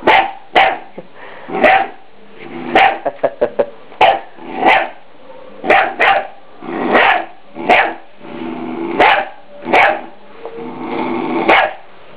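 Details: A three-month-old Scottish Terrier puppy defends its owners against a deer skull with a rapid series of sharp yappy barks, about one per second, some clustered in quick bursts, with growling between.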